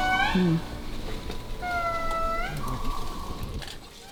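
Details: Indri lemurs, in a large family group high in the rainforest of Andasibe National Park, Madagascar, give their loud call (made about once an hour): long, sliding, held wailing notes echoing through the forest, brief speech at the start.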